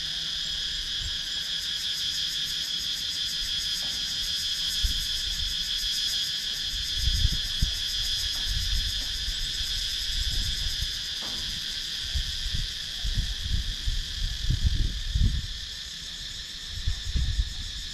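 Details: Cicadas sounding in wooded rural Sakon Nakhon, Thailand, filmed on a GoPro Hero 9: a long, steady, layered metallic buzz with a fine rapid pulse, over intermittent low thumps and rustles.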